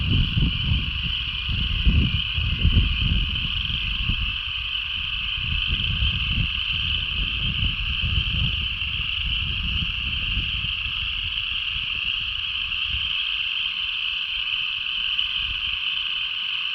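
A dense, steady chorus of frogs trilling together in a continuous high-pitched wash of sound.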